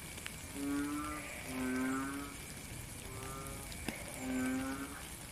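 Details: Rain-soaked frog chorus heard in nature: four smooth, low, bleating calls with strong overtones, each lasting under a second and spaced about a second apart, beneath a continuous wash of falling rain.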